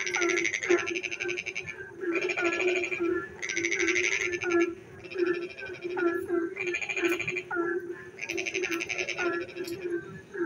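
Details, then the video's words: Frogs calling in the dark during rain, with repeated harsh, buzzy pulsed croaks of about a second, packed closely in sequence. Quieter warbling calls and a steady low drone fill the gaps. "frog singing in the dark night when it rains"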